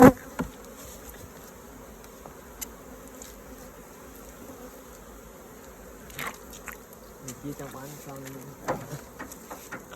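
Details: Honey bees at an open hive while honeycomb is taken out for honey harvest; a steady low, droning hum runs throughout, broken by sharp handling clicks and knocks of hive equipment.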